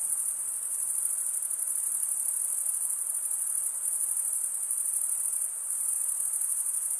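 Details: Stridulating male crickets fill the air with an uninterrupted, shrill high-pitched chirping trill, finely pulsed and steady, one short dip near the end, set over faint background noise.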